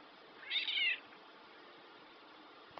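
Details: Black domestic cat, described as talking, gives one clear rising-falling meow of about half a second indoors, right after a person says bye-bye; faint room hiss throughout.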